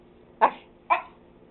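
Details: Domestic dog giving two short, fairly soft barks half a second apart while its owner coaxes it indoors.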